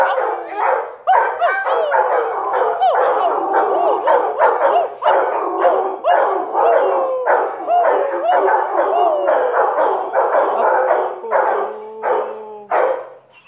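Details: Five-month-old Irish Wolfhounds at Iguana Lodge howl together in wavering, overlapping tones that rise and fall continuously.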